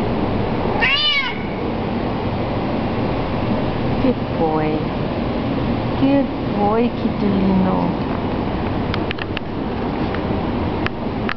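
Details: Loud-voiced domestic cat filmed in 2007 in a low-quality recording: several arching, wavering meows spaced a few seconds apart, with the first the strongest, over constant low rumbling noise, a few clicks and some human speech.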